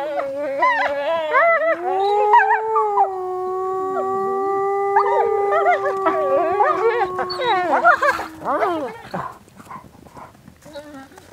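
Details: Wolves howling together: long sustained tones with rich overtones, some holding steady, others rising and wavering in pitch, several voices overlapping before breaking into short yelping notes, with a person speaking Swedish afterward, outdoors.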